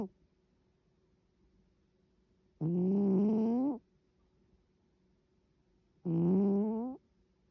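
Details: Sleeping cat snoring: two buzzy, richly harmonic snores of about one second each, pitch gliding slightly upward through each, spaced roughly three and a half seconds apart over a faint steady low hum.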